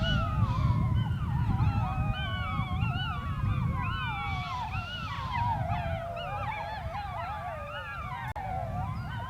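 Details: A pack of gray wolves (Canis lupus) on the Sharr mountains howls together in overlapping, wavering tones over a low rumble of wind.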